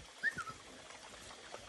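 A Vizsla gives a brief, high, thin whimper that slides slightly downward, then fades into quiet background hiss.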